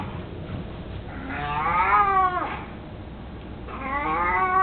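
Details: Mico, an elderly 18-year-old pet cat who is mostly blind, with his beloved toy mouse: a long rising-then-falling yowling meow followed by a second drawn-out meow, indoors with low hum.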